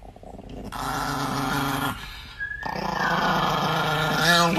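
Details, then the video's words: Angry Chihuahua growling in a steady low rattling snarl, rising into harsher yelping growls near the end, indoors with a person talking in Dutch. "the most angry nikki chihuahua compilation"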